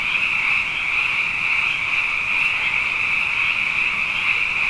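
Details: A dense, steady night chorus of frogs, abundant after two wet years, their high trilling voices blending into one continuous ringing drone.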